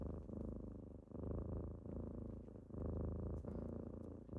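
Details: Kittens wake their owner with loud close purring: rich low vibrating rumble in even in-and-out breaths, each lasting about a second.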